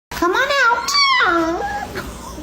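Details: Pet dog indoors, vocalising back to its owner in a 'talking' exchange: a smooth, wavering howl-whine that rises, dips and glides down over about two seconds, tonal with clear overtones, in a small room.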